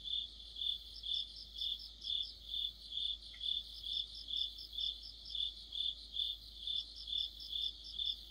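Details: Autumn chorus of crickets near a streetlamp, continuous pulsing chirps repeated about twice a second, extra overlapping trills from neighbouring insects and one brief faint tick partway through.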